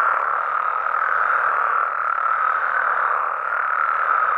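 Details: Nighttime chorus of frogs and toads in Mexico, many voices blending into one continuous buzzing drone at middle pitch, steady in loudness throughout with no breaks and no other clear sounds.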